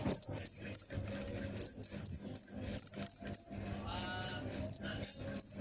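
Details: Cricket chirping in loud, high-pitched bursts of quick pulses, about three chirps per second, broken by short pauses; faint low humming underneath.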